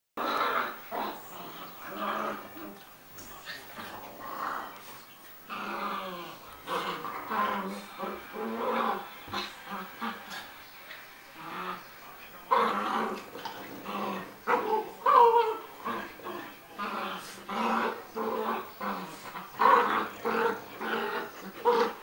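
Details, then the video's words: Chinese Crested dog playing with a French Bulldog in a mock fight, giving continuous rough, throaty growls in uneven bursts with snorting breaths, rising into louder snarls near the end "Doggy Fight"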